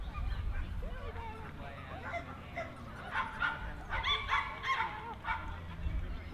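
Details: At the Dogs NSW Showgrounds in Orchard Hills, 15 October 2015, a Jack Russell Terrier at the club speciality show lets out loud, high barks in a cluster near the end, over murmuring voices and hall hum.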